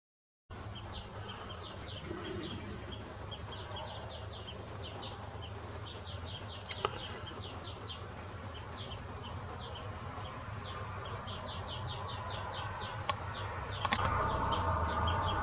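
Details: A lily bush cricket (Tylopsis lilifolia) in Sithonia, Greece, on 17 August 2017, gives a steady series of short, dry, high ticks over a low rumble.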